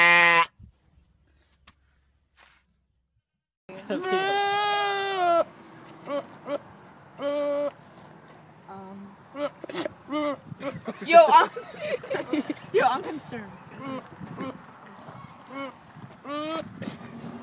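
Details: A goat, apparently male, lets out a long, wavering, human-like scream, described as his intimidation noise to scare others away, followed by shorter bleats and people talking.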